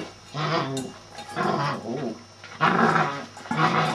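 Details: Male Shetland Sheepdog voicing a few harmonic, moaning bursts, each about half a second long, with short pauses between them; a steady low hum runs underneath throughout.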